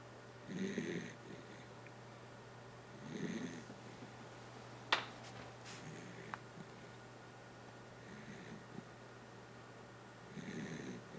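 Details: Snoring from Kotaro, a dachshund, indoors: slow, evenly spaced raspy breaths, loud ones at the start, near three seconds and at the end, with a sharp click and a few small knocks between and a steady low hum.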